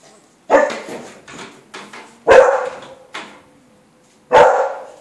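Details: Beagle pups at 24 days old, recorded 20 November 2013, barking loudly: three strong sharp barks with softer yelps between them, spaced about every two seconds.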